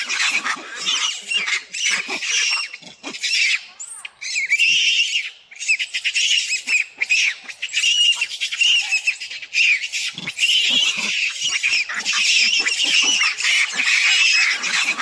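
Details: A macaque, stuck with its head caught and unable to get out, screams for its mother to come rescue it. Harsh, high, noisy screams come in long overlapping bursts with short breaks and keep going through the whole stretch.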